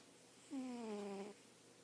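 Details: Pet cat snoring in its sleep, one clear tonal snore nearly a second long, a smooth low hum with overtones that slides gently downward before stopping abruptly.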